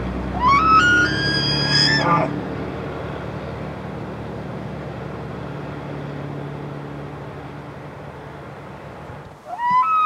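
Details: Rutting bull elk in Canada's Rockies, early in the season: a bugle sweeps upward to a shrill whistle for two seconds, then a long stretch of low engine-like hum before another rising bugle begins at the close.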